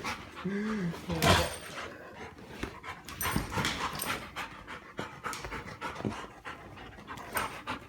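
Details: A yellow Labrador Retriever, excited by fart sounds a person makes, pants hard and gives a brief rising-then-falling whine amid scuffling noises.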